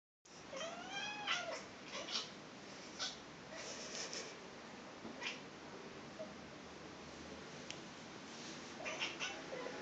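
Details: Small domestic cat indoors chattering at a fly on the wall: a quick run of short, high, arching chirps early on, then quieter stretches with faint taps and rustles against steady room hiss.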